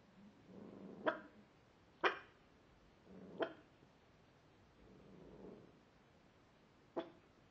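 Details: Pet dog barking at nothing visible, giving sharp single barks about once a second, some preceded by soft whining breaths, with a longer pause before a final bark.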